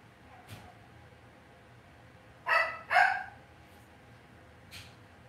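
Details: Cavalier King Charles Spaniel puppies in an indoor home puppy pen, raised within the breeder's home: two short, bright yelps close together near the middle, with a few fainter squeaks before and after over a quiet background.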